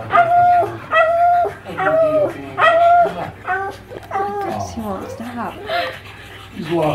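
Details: Pug Magoo, a male, watches himself on television and goes nuts, giving four loud, evenly spaced whines in the first three seconds, then softer broken whimpers and yelps as voices carry on nearby.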